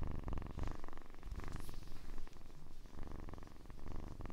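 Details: Soft kitten purr, a low vibrating rumble rising and falling in gentle pulses with quieter stretches around the middle and a faint brief high squeak early on.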